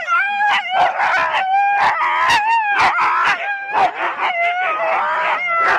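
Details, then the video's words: Four-dog Husky sled teams waiting at the start at Rendlesham in January 2016: a dense chorus of overlapping high whining howls punctuated by rapid sharp barks, loud and continuous throughout. "4 dog Husky teams - the complete start"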